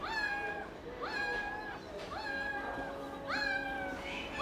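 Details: Newborn puppies just delivered by a vet, being put onto their mother to feed; thin high squealing cries, each rising then falling, repeated about once a second over steady background music.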